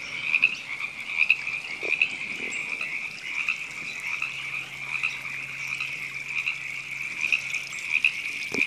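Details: River frogs calling in Temescal Canyon Park, Los Angeles, California, in April: a steady, dense chorus of many overlapping trilling calls, with brighter pulsed notes breaking through every second or so and a faint low hum beneath.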